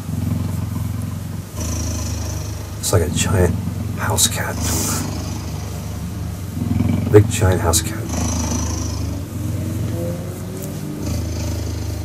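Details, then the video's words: Cheetah cuddling and purring: a low, pulsing rumble in breathing-paced phases, with brief human voices and handling noises midway. "Cheetah Cuddling & Purring"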